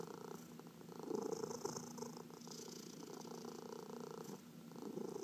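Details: Domestic cats, four of them, including senior adopted cats, purring while being massaged indoors; a soft, continuous low rumbling purr with steady rhythmic pulsing throughout, plus faint rustling of hands on fur.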